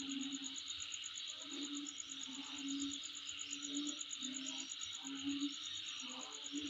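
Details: Insect chorus recorded near home, a shrill continuous pulsed trill held at one high pitch over a broad hiss, with low droning bursts repeating every second or so.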